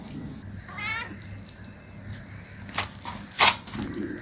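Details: An 18-day-old kitten playing with its mother around a home gives a single short, high-pitched meow early on, followed by sharp knocks and clicks from movement over a low background hum.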